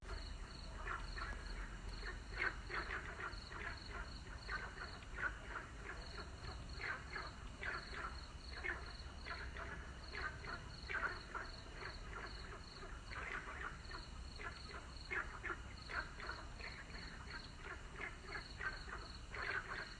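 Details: Frog. Many frogs call together in a thick chorus, their short raspy croaks overlapping continuously. A steady high insect-like trill runs underneath, along with low background rumble.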